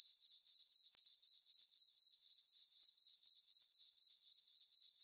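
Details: Crickets chirping on a summer night under a full moon in a farm meadow; a steady high-pitched trill with pulses repeating about four times a second, rhythmic and unbroken, with no other sounds.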